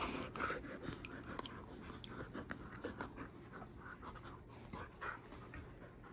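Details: A female German Shepherd, Leia, pants quickly and irregularly during play with her little brother, a dense run of breathy huffs with sharp clicks, perhaps from teeth or jaws, over a faint low hum.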